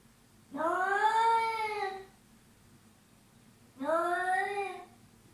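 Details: Cat giving two long, clear meows roughly two seconds apart. Each opens with a quick upward slide, then holds a steady tone and fades at the end, over a quiet indoor background.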